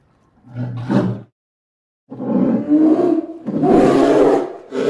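A polar bear gives deep, rough roars and growls in a few heavy bursts.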